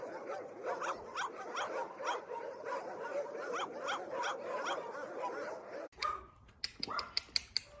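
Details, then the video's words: Dog barks repeated rapidly at an even pace for about six seconds, fairly distant and moderately loud, followed by a run of sharp clicking knocks. "Dog barking Loud and Howling"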